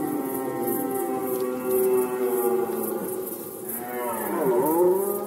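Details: Red deer roaring in the rut, Poland 2020: a continuous deep, harmonic-rich bellow wavering in pitch, swelling into a louder dipping and rising roar toward the end, with rhythmic high-pitched pulses behind.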